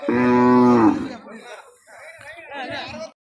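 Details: Cow at a cattle market gives a loud, short, steady moo of under a second, followed at once by men talking nearby.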